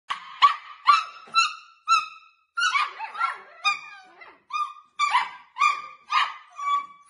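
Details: Samoyed puppies, about nine in the litter, giving high-pitched, squeaky yaps and yelps in quick succession, several voices overlapping.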